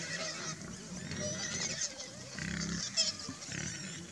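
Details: A hungry wild boar family grunting in low, rough bursts every second or so over a steady hiss.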